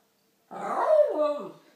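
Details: Shih Tzu fighting with a lemon gives a single drawn-out tonal whine lasting just over a second, rich in harmonics, holding steady then sliding lower in pitch before fading, with silence around it.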